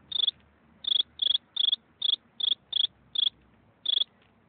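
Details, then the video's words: Cricket chirp: nine short, high, trilled pulses delivered at an uneven tempo, with gaps ranging from under half a second to over half a second, in otherwise quiet surroundings. "Eine Grille beim zirpen"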